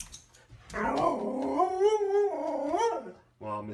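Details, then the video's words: Domestic dog giving one long, wavering, harmonic howl of about two and a half seconds. It rises and falls gently before fading, followed by a brief low voice. "DOG BARKING SOUND"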